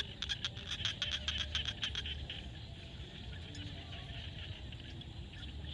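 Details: At sunset in a Cambodian field, a frog gives a fast train of sharp clicking pulses for about two seconds, then fades into a constant high-pitched chorus over low background rumble.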